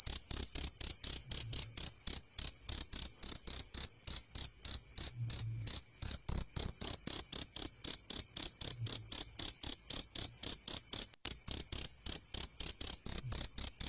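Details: Cricket chirping to drive away rats, a continuous series of sharp, high trilled pulses at about four per second, very regular and loud, with one brief break near the end and faint low thumps underneath.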